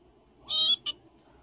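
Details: Male foster kitten having fun in his foster home gives a short, high, tonal meow lasting about a third of a second, then a brief second chirp-like note, in an otherwise quiet room.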